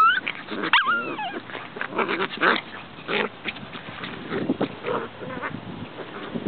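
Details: Corgi puppies playing and digging a hole give high, sliding whines and short yips among scraping, scuffling noises.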